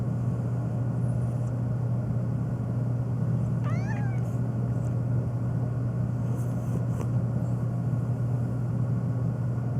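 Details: One short falling meow from Phoebe, a black domestic cat that meows nonstop, especially to sneezing, rising briefly then dropping, set against a loud steady low hum.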